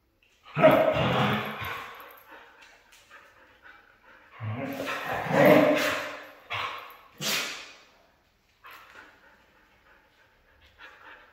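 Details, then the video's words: Red female Siberian husky giving loud, drawn-out howl-like vocal bursts, each lasting one to two seconds, with three main outbursts followed by quieter murmuring sounds and brief pauses of silence. "Red Female Siberian husky"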